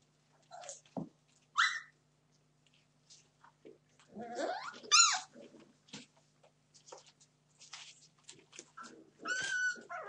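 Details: Puppies, 31 days old, being naughty: short high yips and whimpers with bright stacked overtones break out every few seconds, some rising and some falling, between soft scuffling and shuffling noises and brief quiet gaps.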